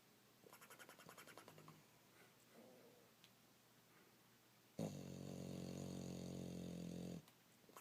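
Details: Sleeping bulldog snoring and flapping its lips during a loud nap. Soft fluttering breaths come first, then one long, loud, droning snore lasting over two seconds.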